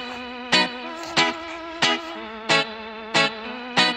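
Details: Electric guitar music with a sustained tone and sharp plucked accents repeating about every two-thirds of a second, and no animal voice.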